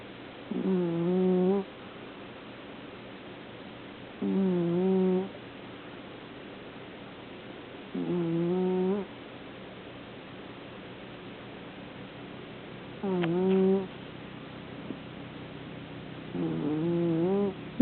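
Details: Pet cat snoring indoors: a low, harmonic rasping snore repeated roughly every four seconds, each breath lasting about a second, over a faint steady background hum.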